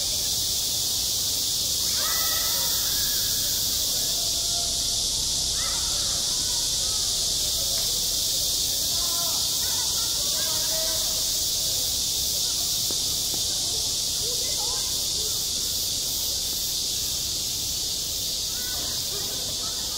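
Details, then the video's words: Cicadas singing on a school playground in high summer: a dense, unbroken hissing drone fills the upper range for the whole stretch, with faint distant voices rising and falling beneath it. "한 여름 운동장에서 매미가 울고 있다 - 여름의 소리, 학교 종소리, 매미 울음소리"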